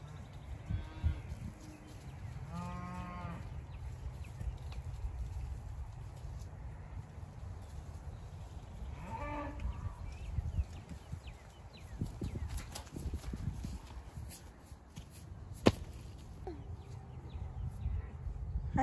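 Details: Big, loud cows on a Texas homestead give three short, harmonic lowing calls near the start and around ten seconds in. Steady low wind rumble and scattered clicks fill the rest.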